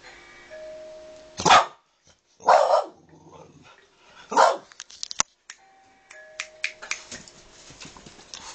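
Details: Boston Terrier; bark; alert barking in reaction to the doorbell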